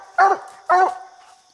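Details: Bandit the coonhound, on a coon hunt with a raccoon treed in a little tree, gives two loud, hoarse barks about half a second apart, then quiet.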